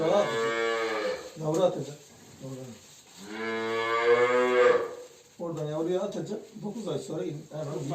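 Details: Simmental cows on a livestock farm in Turkey, in heat and being prepared for insemination, give loud harmonic moos, one long drawn-out bellow in the middle between shorter lowing calls, with indoor barn echo.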